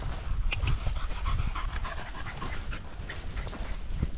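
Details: Quick, breathy panting from a Border Terrier walking with a pack of six small dogs, Alfie, Juno and Otis among them, 13 September 2022, sunny and 16°C, filmed on a GoPro Hero 10 Black; steady hoarse puffs amid crunching steps and outdoor noise.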